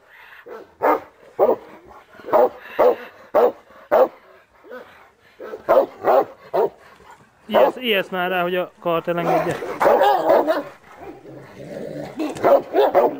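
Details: Cane Corso Taco on bite-sleeve training for the first time; a run of sharp, repeated barks fills the first half, then shouting human voices take over while barking continues underneath.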